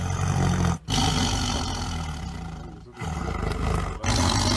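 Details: Tiger (Panthera tigris) roaring: deep, rumbling growl-roars sustained for about a second at a time, broken by short silent gaps.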